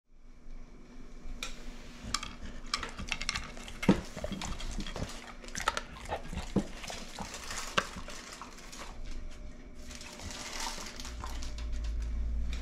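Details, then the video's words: Pit bull named Ace eating dried shrimp indoors, recorded close up for ASMR; scattered sharp crunches and clicks come irregularly over a steady low hum, with a rougher rustling burst toward the end. "Pitbull Tries Shrimp (ASMR)"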